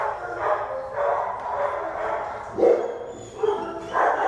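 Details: Shelter Black and Tan Coonhound up for adoption, June 2015; drawn-out, booming bay-like barks, about five in four seconds, loud and full-toned.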